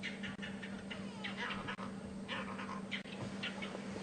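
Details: Vervet monkey alarm calling on a morning safari drive at Djuma Game Reserve, 7 April 2015, apparently at a leopard seen at the waterhole the night before, with a go-away bird also alarm calling; harsh short chirps repeated in bursts over a steady low engine hum.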